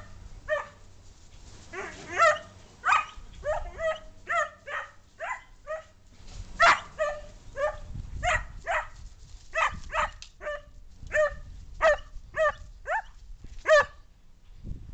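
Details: Dog barking during play with another dog; it always barks when it plays. Short sharp barks come in quick irregular bursts, roughly eighteen across the stretch, over a low background rumble.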